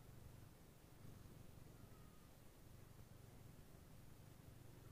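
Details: Steady low purring from Mooni, a black silver Somali queen, as she grooms and cuddles her kittens while they nap; continuous throbbing rumble with pulsed breathing cycles and a quiet hiss behind.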